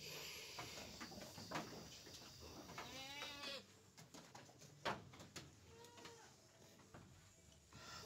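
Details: Penned goats at afternoon feeding time, with leftover morning feed still in the trough: a quavering harmonic bleat rises and falls in the middle, then a shorter fainter one follows, amid rustling, clattering and background noise.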